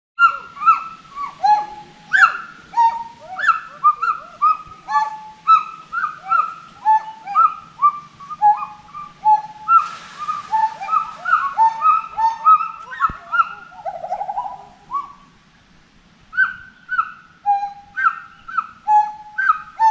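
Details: Forest monkeys calling in a dense chorus: many overlapping harmonic, arching hoots and rising-falling cries, some descending, with a brief burst of hiss near the middle and a short lull before the calling resumes.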